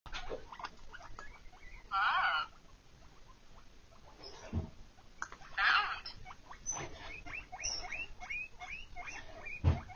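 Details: A guinea pig, said to love fridge sounds, lets out two loud, shrill squealing bursts, then a steady series of short, upward-sweeping squeaks, with a couple of dull household knocks between calls.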